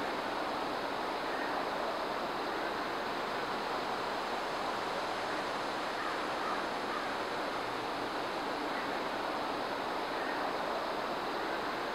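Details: Steady rushing water, like surf or a waterfall, fills the whole stretch with no animal voice standing out.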